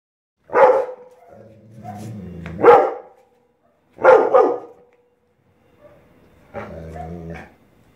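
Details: A Rottweiler watching a kite gives deep, forceful barks, with low rumbling growls between them.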